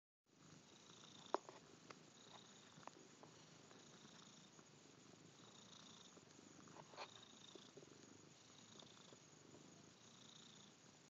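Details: Domestic cat purring, a soft, steady, continuous rumble lasting the whole eleven seconds, with a few faint clicks and rustles in a quiet room.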